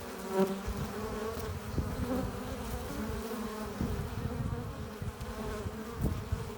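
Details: Honey bees at a hive entrance, flying in with pollen and nectar: a dense, continuous buzzing drone with a steady low hum and layered harmonic tones, punctuated by brief louder passes of individual bees.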